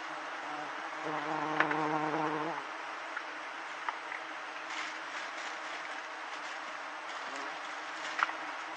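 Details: Giant honey bees buzzing as villagers harvest their hive for fifth-month honey: a dense, steady hiss of many wings with a louder, lower droning hum near the start and a few sharp clicks.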